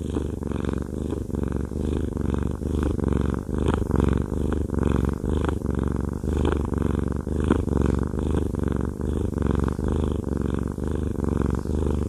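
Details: Fluffy cat Haku purrs during a massage, a deep buzzing rumble swelling and easing roughly once per second as he breathes in and out, recorded close up indoors with no other sounds.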